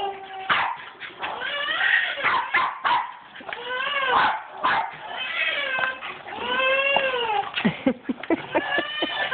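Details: Two Jack Russell Terriers playing tetherball: excited, high, wavering whines and sharp yips follow one another almost continuously, some rising then falling in pitch, with brief snatches of a person's voice mixed in.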